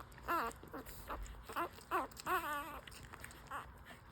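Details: Five-day-old full-suit French Bulldog puppies nursing, giving high whimpering squeals with wavering, falling pitch, several in quick succession then a brief pause and one more short squeak; soft suckling and rustling underneath.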